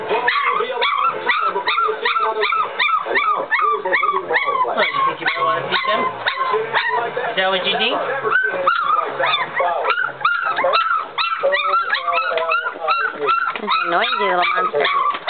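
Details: Three-week-old puppies from a Chucky x Deuce litter crying together, a dense, continuous chorus of overlapping high whines and short yips rising and falling without pause.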